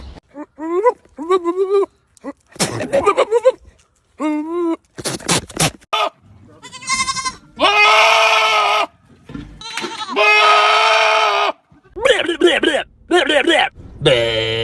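Goats bleat in loud, wavering, nasal cries, some short and quavering, others long and strained.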